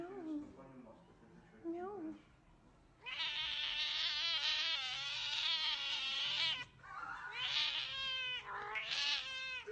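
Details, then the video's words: A cat gives loud, high, strained meows, including a long wailing call of about three and a half seconds, with shorter rising calls before and after and some background noise. "MEOWING Compilation"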